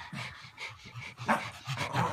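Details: Chow Chow dog playing with Pomeranian, Spitz and Chihuahua puppies, panting in quick breathy bursts roughly three to four times a second, with soft rustling throughout.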